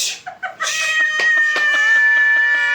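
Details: Domestic cats fighting, a loud, steady high-pitched yowl held for about two seconds, preceded by a shout in Kannada and punctuated by sharp clicks and scuffling.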